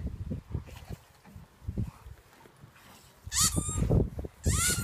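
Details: Kody, a male German Shepherd, in the garden on his third birthday, gives two high, whining yelps that sweep downward. Low thumps and rustling from movement fill the first half.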